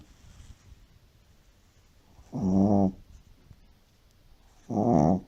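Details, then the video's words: Shih Tzu sleeping deeply indoors, snoring like an old man: two loud, rough, buzzy snores about two and a half seconds apart, each lasting roughly half a second, with quiet breathing between. "SHIH TZU RONCANDO COMO UN VIEJO"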